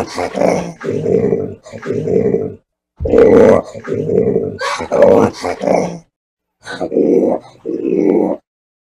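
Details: Orangutan voicing a series of loud, harsh, grumbling bursts, each about a second long, separated by short pauses, with some longer silent gaps between groups.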